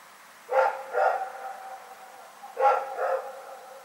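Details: Night barking from Rex the dog, taped on 27 February 2018: two paired barks, each a quick woof-woof, spaced about two seconds apart over a still, quiet background.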